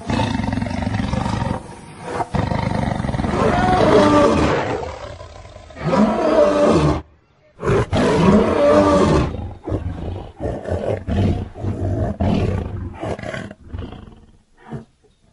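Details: Wild lions in Luangwa Valley, Zambia, eating and playing with their family. Rough, broadband snarls and growls come in irregular bursts separated by short silences, some bursts longer and louder than others.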